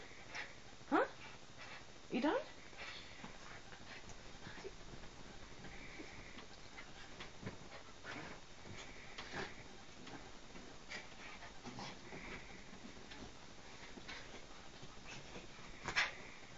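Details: Chuqui, a pet dog, just after a bath indoors in a small room: soft, thin whines held at one pitch and scattered over the clip, with a few short rising squeaks near the start and a person asking whether the dog is done.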